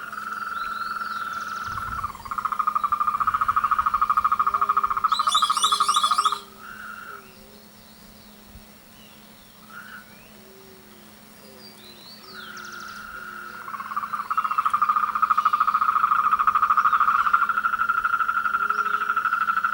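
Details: Frogs singing in chorus during their mating and courtship season. Continuous high trills give way to a quieter stretch of scattered low croaks, with a brief rattling high burst, before the trilling chorus swells again.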